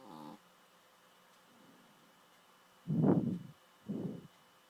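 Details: Chloe, an adopted female dog, sleeping and snoring loudly; a short whistling, harmonic nasal sound opens, then two deep, rasping snore breaths about a second apart near the end, with quiet pauses between.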